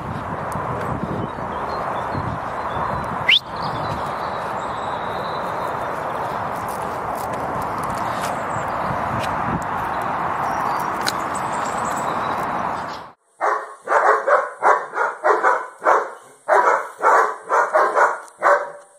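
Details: German Shepherd kept as a security guard dog in Cambodia, one of two in a household. A long stretch of steady broadband rushing noise, then an abrupt cut to a fast run of loud, rough barks in quick bursts.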